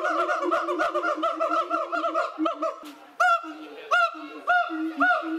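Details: Siamang gibbons in a wildlife park enclosure call out at onlookers. A fast run of repeated nasal barking notes slows and fades, then after a brief pause come loud, separate hoots about every half second.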